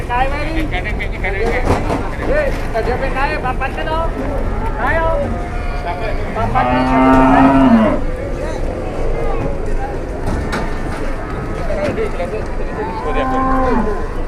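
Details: Indonesian farm cow that had collapsed and then turned aggressive, calling in its shed: several short lowing moos early on, a long loud rich moo near seven seconds, and a final shorter moo near thirteen seconds over steady rumbling background noise.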